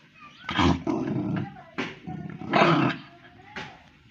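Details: Pomeranian dog acting up, growling in four short gruff bursts with snarling, bark-like edges, while a man in Tamil repeatedly tells it to give something back.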